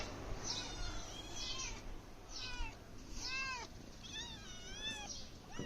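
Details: Domestic cat meowing over and over, about six arched, drawn-out meows with rising then falling pitch, spaced roughly a second apart, over a low rumbling background, while a person offers it milk and rice.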